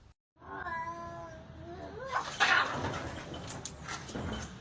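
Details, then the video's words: Domestic cat in a confrontation with another cat: drawn-out, wavering, harmonic yowl that holds steady and then slides upward. It gives way to rough, noisy scuffling and bursts of hissing. "Cat Fight Cat 🐈 Watch With Real Sound"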